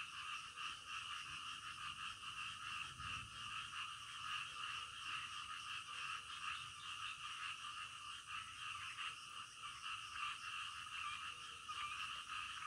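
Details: Many frogs calling in the dead of night, a steady buzzy chorus with fast, uneven pulsing, plus one soft low thump a few seconds in.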